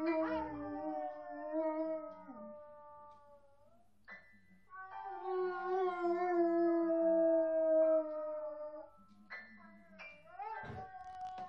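A Beagle howls in long, wavering, musical notes alongside a person's singing.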